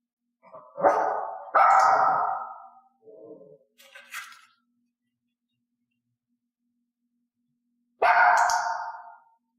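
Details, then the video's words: Pet dog Elaine in clicker training, rewarded only for barks given on cue: two loud, piercing barks in quick succession, a few faint low sounds and a soft noise, then after a long pause a third loud bark. "i gave the cue and then clicked the resulting bark the dog must learn that reinforcement only comes from this behavior"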